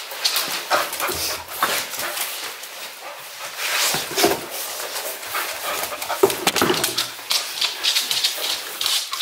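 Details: English Cocker Spaniel Luna in Berlin, Germany, left alone at home for under three minutes. Her separation anxiety peaked after a month-long lockdown. Scratchy, uneven whimpering and short bark-like bursts come in clusters throughout, against a noisy indoor background.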